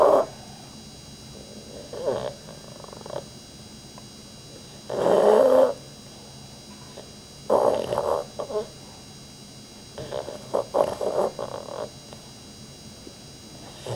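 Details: Rudy, a dog asleep and twitching, makes scattered snorts and one strong rasping snore, followed by choppy, broken snuffling breaths and long quiet gaps.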